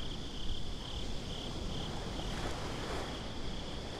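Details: Nighttime beach crickets hold one thin, high, continuous trill that wavers gently in strength, above a heavy bed of rumbling surf and wind noise.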